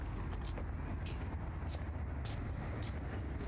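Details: Outdoor urban background of passing road traffic and low rumble, with light pattering sounds and no clear animal call.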